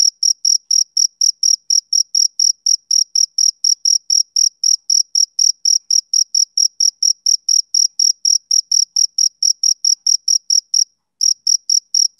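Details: Rhythmic chirping of a male cricket, typical of summer evenings. Shrill, evenly spaced pulses roll on at a brisk pace, broken by a single brief silence near the end before resuming. No other sounds.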